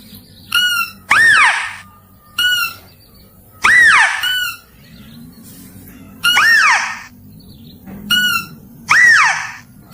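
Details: Mouse-deer luring calls: short buzzy harmonic bursts each followed by a longer arched squeal that rises then slides down, in pairs roughly every two to three seconds over a low background rumble.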